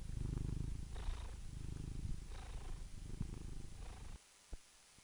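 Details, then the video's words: A cat's low, rumbling purr pulsing with its breathing for about four seconds, then stopping abruptly, leaving near silence broken by one soft click. "purring cat"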